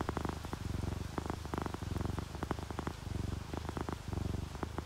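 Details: Happy, relaxed house cats, a ginger tabby and a calico sleeping through rain, produce a soft low rumbling purr in short rhythmic cycles about every half second, with faint rain sounds behind.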